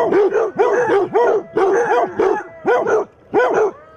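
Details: Basset hounds barking defensively at a mechanical Halloween cat: loud, deep, rounded barks in clusters of two or three, roughly eight in four seconds, some overlapping, with short gaps between groups.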